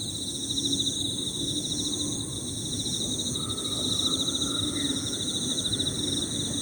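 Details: Emma field crickets in a chorus of overlapping high trills, continuous and finely pulsed. A small bird adds a few faint, lower whistled notes partway through, over a soft low-pitched background hum.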